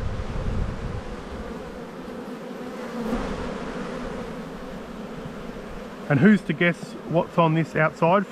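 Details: Honey bees at a spring hive inspection in Australia on 7-9-22, with a black hive full of brood; about six seconds of low, continuous colony droning, then a man starts speaking over the hum.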